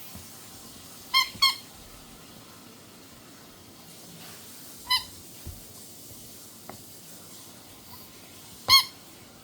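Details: A Chihuahua puppy that loves making sounds gives a few short, high, squeaky yips spaced several seconds apart; Chihuahua.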